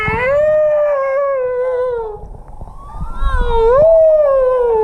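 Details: A humpback whale off the Kingdom of Tonga in 2017, heard while swimming with the whales, gives long, smooth, moaning tones that dip, swell and rise again.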